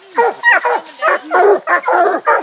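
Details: Coonhounds, Walkers, a black and tan and a bluetick, sound off at a raccoon treed eight minutes after release at a new hunting spot: short, choppy barks with falling tails, packed closely in quick succession.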